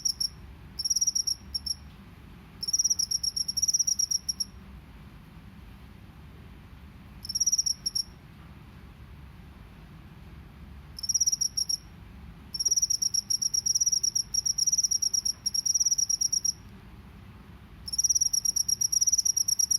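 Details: Field cricket from a rice field, recorded in nature, 'ngebren' drilling style: bursts of shrill, fast-pulsed trilling lasting one to four seconds, alternating with silent gaps, over a soft low rumble.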